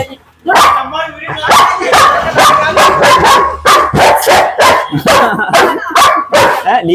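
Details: Aggressive, biting German Shepherd barking steadily after a brief quiet start, about a dozen loud, harsh barks at slightly uneven intervals. Faint human voices sit underneath.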